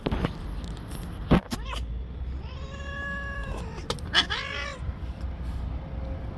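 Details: Angry white stray cat living on the street gives a drawn-out harmonic meow that rises and falls, followed by a shorter sharp wavering cry, over low rumbling traffic and a few clicks.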